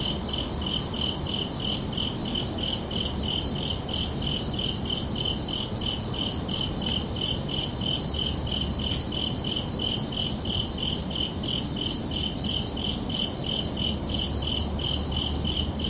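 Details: Crickets at night on a summer evening keep up a continuous, metronome-like series of high, ringing chirps, quick and unbroken, with a dull low-frequency drone underneath.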